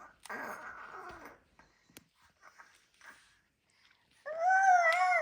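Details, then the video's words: Kodi, an affectionate pet kitten, indoors in a small room while a baby boy plays with him and the two seem to talk; one clear, drawn-out tonal meow near the end after soft babbling and faint rustling. "Adorable baby Boy Talks To His Kitten!"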